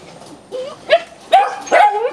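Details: Belgian Malinois kennel in Ho Chi Minh City, Vietnam, home to a female with a litter of ten puppies: three short, high, rising yips, each a little stronger than the last, against a low background hum.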